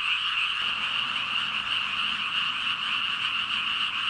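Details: Thousands of frogs croaking together in a dense chorus, the calls merging into a steady, unbroken droning hum with no pauses and no other sounds.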